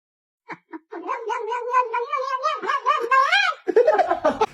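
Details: Domestic cat giving a long drawn-out caterwaul indoors: two short chirps, then a sustained wavering yowl with rising and falling pitch for about three seconds, ending in rougher broken cries.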